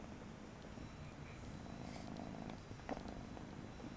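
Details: Persian kitten Mariah giving a deep, constant purr that swells slightly, with a faint click near the end.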